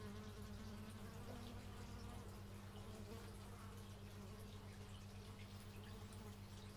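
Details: Outdoor bee buzzing recorded with an x/y stereo microphone, a continuous deep hum with a rapid pulsing beat, plus a short sliding tone as one bee flies by early on.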